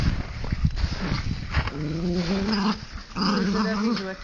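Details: Jack Russell Terrier and Mallorcan Bulldog playing tug-of-war with a rope, two long drawn-out rumbling growls over rustling and handling noise.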